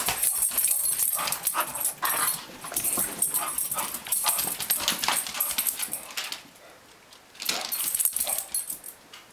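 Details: English Bulldog indoors while chasing a Pekingese puppy: a run of harsh, breathy bursts in quick repeated succession, broken by brief pauses, with scuffling in a small room.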